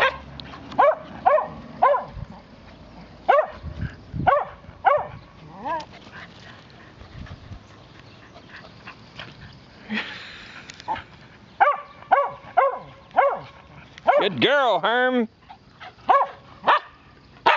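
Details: Young female Swedish Vallhund, excited and racing around after her first bath indoors, lets out rapid bursts of high yipping barks, repeated in clusters, and one drawn-out wavering whine midway, with a person's voice briefly heard.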